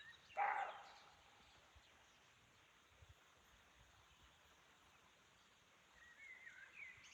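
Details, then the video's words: Forest at Chaumien, France, with a roe deer giving a single short, rough bark near the start, then a long hush of faint woodland ambience and distant bird chirps toward the end. "Roe Deer Sound in Chaumien, France (Mystery Forest Sound)"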